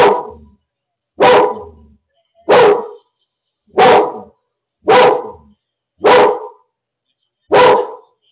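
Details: Seizure alert dog Lola barking to warn as her owner suffers a seizure alone at home; seven strong, evenly spaced barks, one roughly every 1.2 seconds, each short and rough, with silence between.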